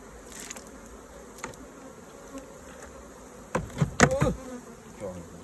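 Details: Honey bees at a hive during a honey harvest, as honeycomb is taken out and raw honey extracted; a steady low droning hum runs throughout, broken by a cluster of sharp knocks and scraping taps near the end.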